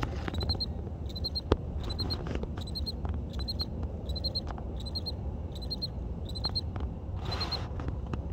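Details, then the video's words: A cricket hidden in a crack in a building, heard outdoors, gives loud, short, high chirps of a few quick pulses, repeated steadily about every second. "Cricket Chirping!!"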